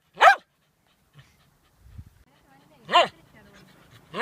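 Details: A playful dog, barking while playing with stones, gives three sharp single barks spaced a couple of seconds apart, each rising then falling quickly, with faint soft noises in between.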